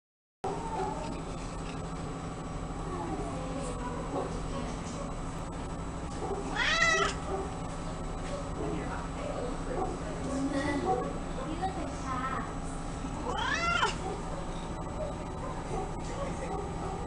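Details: Domestic Shorthair cat, described as outgoing and people friendly, meowing twice with drawn-out rising then falling cries about seven seconds apart, over a steady low hum and faint speech.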